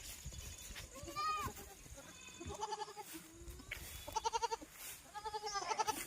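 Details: Domestic goats in a goat-farming setting, giving several tremulous, wavering bleats in a row, some overlapping, with strongly quavering rich tones and short gaps between calls; low rumbling background noise throughout.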